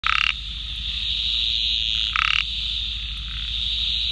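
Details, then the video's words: A Laterite narrow-mouthed frog (Microhyla laterite), recorded in India, gives short, rapid pulsed rattles about two seconds apart over a steady high drone. "Laterite Narrow-mouthed Frog Call"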